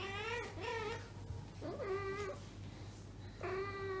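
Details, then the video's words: Unneutered female domestic cat in heat indoors, seeking a mate among neutered housemates: four drawn-out, harmonic yowls with wavering pitch, each near half a second long, over a steady low hum. "Cat Asia is in heat."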